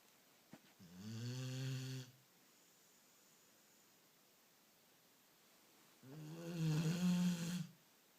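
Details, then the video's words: Sleeping beagle snoring: two long rasping snores about five seconds apart, each a low harmonic drone rising slightly in pitch, with quiet pauses between. "Beagle roncando"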